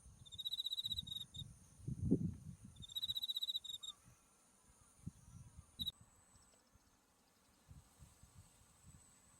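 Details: In autumn at a field of white buckwheat flowers with Mount Tsukuba in view, an insect gives two high pulsed trills of about a second each early on, then falls quiet; soft wind rumble and a thin steady high tone continue.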